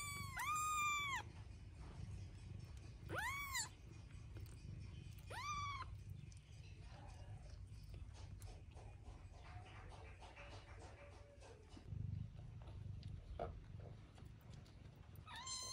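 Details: Three short arched meows from a cat, each rising then falling, spaced about two seconds apart, followed by a steady low rumble of background noise with faint clatter.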